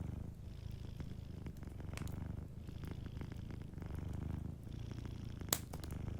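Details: Gentle purr of a cat asleep by a crackling fireplace: deep, pulsing low rumble in breath-like waves, with one loud pop and faint crackles from the fire.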